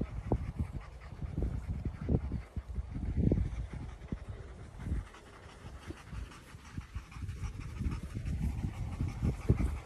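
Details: Bernese Mountain Dog panting steadily in quick, breathy huffs, with soft low puffs repeating through the stretch and a brief quieter pause midway; no barking or voices stand out.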